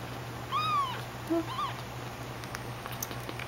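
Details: Rescued newborn kitten being bottle-raised indoors: two short, high, thin meows, the first falling and drawn out, the second brief, over a steady low electrical hum.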